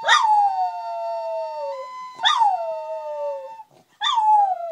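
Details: Wire-haired terrier singing along to flute music, giving three howls, each opening with a sharp bright onset then gliding down into a long drawn-out tone, while steady flute notes run underneath.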